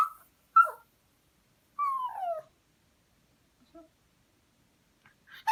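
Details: Dog begging for beef with whimpering cries: two short yelping whines, then a longer falling whimper, followed by quiet pauses and a brief faint squeak before a person speaks.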